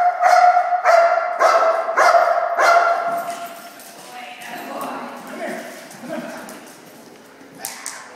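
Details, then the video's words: Belgian Malinois during hold-and-bark training: five strong, evenly spaced barks open the recording, then fade into quieter mixed sounds and voices. "Hold & Bark"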